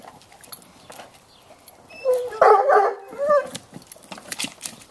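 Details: Bloodhound playing with a toy and splashing in a swimming pool; one short harmonic bark-yelp burst near the middle, with water splashing and clicks before and after.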